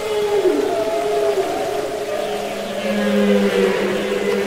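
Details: Humpback whale singing underwater, from Capitol Records ST-620: descending mid-pitched moans overlap, then a lower, level hum begins halfway through and holds steady to the end, all over a soft ocean hiss.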